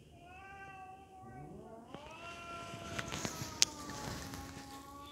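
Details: Domestic sibling cats fighting each other aggressively: a long, drawn-out harmonic yowl wavers steadily, then a second voice rises and holds a strained, slowly falling wail through the end, with sharp scuffling clicks in between.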